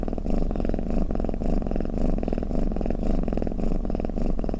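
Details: Cat's snoring purr, a continuous deep vibrating drone that rises and falls with each breath roughly twice a second, in a quiet setting.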